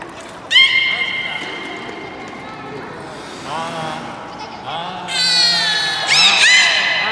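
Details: Aquarium beluga at a public training session, Port of Nagoya Public Aquarium, 24 March 2018, 16:30 show: a sharp squeal opens, then a mid-pitched nasal call and a burst of rapid, downward-sweeping chirps, with a low voice-like tone beneath.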